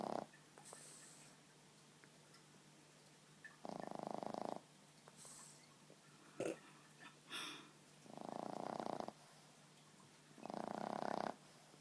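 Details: Boston Terrier snoring while asleep on a lap: four grating, buzzy snores in a slow, uneven rhythm, with faint clicks and small rustles between them.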